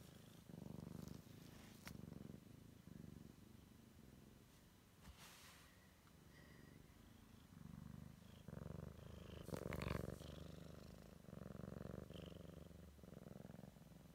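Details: Purring Siamese kitten on its first exploration of the world, a continuous low throbbing rumble broken by short clicks and knocks and a brief sharp noise near the middle.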